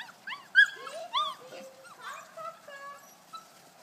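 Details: Kuvasz puppies, 5.75 weeks old, already conditioned to a whistle, on their first outing to the big meadow in the large run; high whimpering whines rise and fall in quick arcs, several overlapping, with a voice faintly behind.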